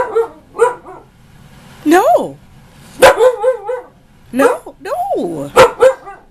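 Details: Ankita, a nearly one-year-old female husky, argues with her owner, usually quiet unless she wants something; short warbling yowls rise and bend, then sharp yips, with a person's voice cutting in between.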